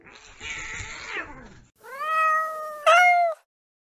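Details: Domestic cat in a funny pets compilation: a noisy, wavering cry followed by two clear drawn-out meows, the last one louder and higher, rising then falling, with a short pause before each.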